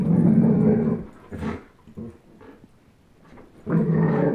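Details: Two pet dogs at play, Chase, a 10.5-month-old German Shepherd, and Blizzard, a one-year-old Old English Sheepdog, tugging at a toy; a low rumbling growl for about a second opens, soft scuffles and short grunts follow, then the deep growl returns.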